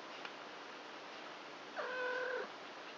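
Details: Domestic kittens, four three-week-old littermates born on 29 March, playing with each other at night indoors; a single clear meow of about half a second, steady and slightly falling at the end, over a constant hiss.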